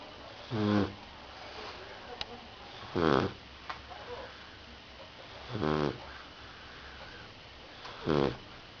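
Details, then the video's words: Rottweiler puppy snoring while asleep indoors: four rough, harmonic snore breaths spaced about two and a half seconds apart, each a short burst with quiet pauses between. "Puppy Rottweiler sleeping and snoring"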